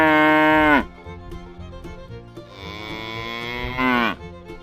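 A dairy cow gives two long, rich moos that each sag in pitch at the end.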